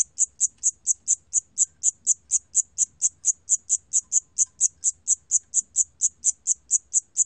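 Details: Siamese cricket, 2020 National Institute of Biological Resources recording, chirping in a regular high-pitched pulse, about two sharp ringing chirps per second, background otherwise quiet.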